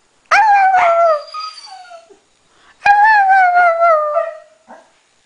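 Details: Norwegian Elkhound howling along with a Husky: two long, drawn-out howls, each starting high and sliding slowly downward, with rich overtones and about two seconds between them, ending with a short yip.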